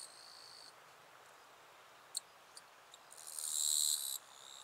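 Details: Wild eastern Japanese katydid, northern Miyagi, Japan, late August 2024, a population perhaps close to the western form: a faint buzz, a few sharp clicks, then one loud rasping buzz near a second long.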